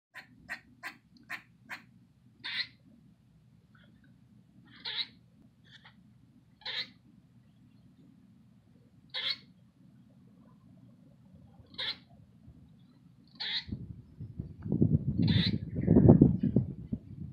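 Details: Black eastern grey squirrel yelling at a cat: a rapid run of sharp clicks at the start, then single harsh barks every two seconds or so, with a low rumble beneath and louder rustling noise in the last few seconds.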